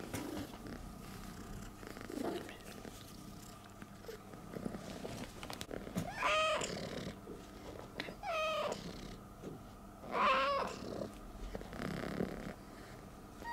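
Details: Female stray cat rescued in Istanbul after falling sick, thanking her helper with hugs: low purring throughout, broken by three clear rising-then-falling meows, about two seconds apart, in the latter half.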